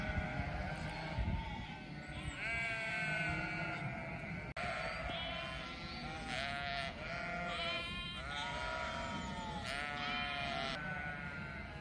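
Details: A flock of sheep bleating continuously, with many overlapping wavering bleats from several animals rising and falling throughout, some high and quavering, over a steady low background rumble.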